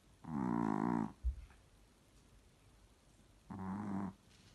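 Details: Pixie, a Chihuahua asleep, snoring: two drawn-out, buzzy, low rasping snores with rich harmonics, each lasting almost a second and about three seconds apart, with a brief soft thump between them in a quiet room.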